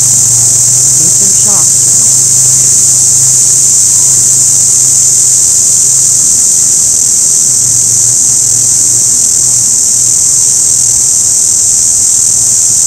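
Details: Orange cicada calling with a steady, unbroken high-pitched buzz that holds level throughout, with faint low engine-like hum underneath and a brief soft voice-like sound near the start.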